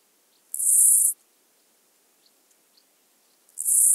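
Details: Two-coloured grasshopper singing at Illmitz, Austria, on 21 July 2021: a short, hissing, high-pitched buzz lasting about half a second, then a pause of nearly three seconds before the next buzz begins.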